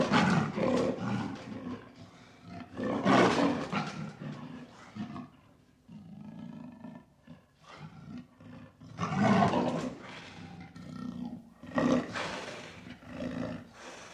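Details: Lion roaring, deep rasping bursts repeated around one, three, nine and twelve seconds, each fading into lower grunting moans between calls.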